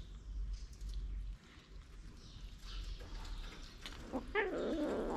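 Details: Hungry homeless street kittens waiting for their mother: after a stretch of low rumbling background noise, one loud, harmonic-rich meow rises near the end and is cut off as the recording stops.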